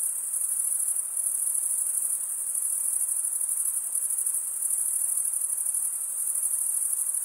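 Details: Stridulating crickets give a seamless, very high ringing trill with a faint rhythmic flutter, gently rising and falling in strength, with no other animals or noises.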